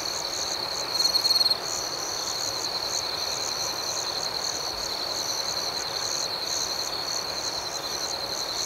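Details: Crickets at night chirp in a dense, steady chorus: a continuous high shrill trill with quicker pulsed chirping above it, and one louder, brighter burst lasting about half a second near the start. No other clear sounds.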